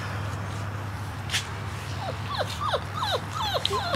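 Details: Airedale Terrier puppy from a litter bred for sale. After a quiet start, it gives a quick run of high, falling whines, about eight short downward slides in two seconds, over a low steady hum.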